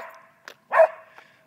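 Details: Pet domestic dog barking at birds while chasing them; one loud, short, sharp bark stands out after a faint earlier yelp, with the owner's voice urging it on nearby.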